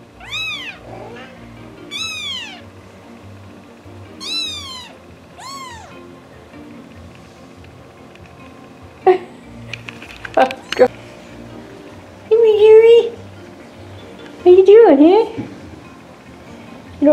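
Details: Pet cats indoors give a series of arching, high meows, roughly four in the first six seconds, then after a pause several lower, wavering drawn-out meows and a clatter, over faint background music.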